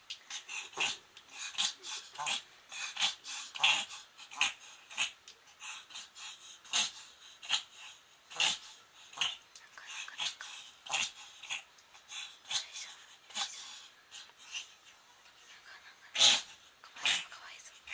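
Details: Moko, a pet Pomeranian, in a reverse-sneezing episode, her first ever: a rapid train of harsh, raspy snorting inhalations, sharp bursts repeating about once or twice a second, with brief pauses and a faint human voice.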